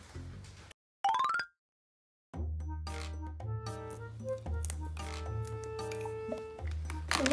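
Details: A rising electronic sound effect and a short silence lead into cheerful music with a steady bass, and no animal sound.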